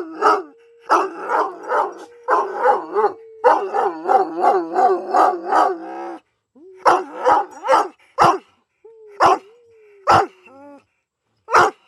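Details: Paddy the Irish Wolfhound howling at home: a long run of pulsing, wavering howl notes over six seconds, then a pause and scattered barks, yips and short rising whines toward the end.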